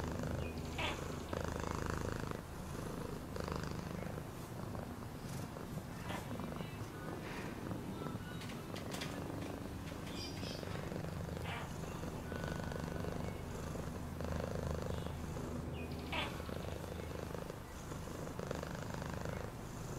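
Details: Sustained low, vibrating purr from a domestic cat, an even rumble that swells slightly in breath-like cycles, with faint high chirps and soft rustles behind it.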